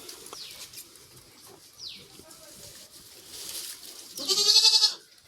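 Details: Farm goats where a doe has just delivered four healthy kids: soft background noise with faint descending chirps, then a loud, tremulous, high bleat near the end. Tamil speech is heard around it.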